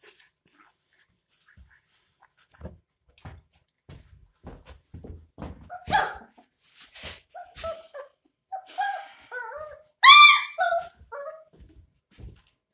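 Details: 22-day-old puppies being bottle-fed with milk: soft suckling clicks at first, then thin, wavering whimpers that grow more frequent. One louder, bent whine comes near the end.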